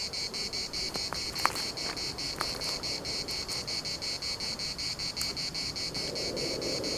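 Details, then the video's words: In the Larnaca municipal park, Cyprus, cicadas keep up a rhythmic high-pitched buzzing, pulses about two and a half per second, with a few sharp clicks and light wind noise. "CICADAS at the municipal Park Larnaca"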